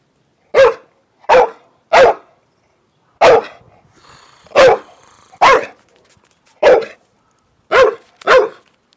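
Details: Old male Staffordshire Bull Terrier in the UK, holding a stone and barking in play because he wants to be chased. Nine sharp, loud barks, some in quick pairs and some single, with short silent gaps. No other sounds.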